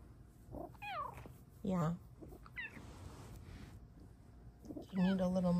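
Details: Indoor pet cat meowing repeatedly while a woman talks softly to her. Short, wavering, up-and-down mews are broken by brief spoken words and end in a longer drawn-out meow.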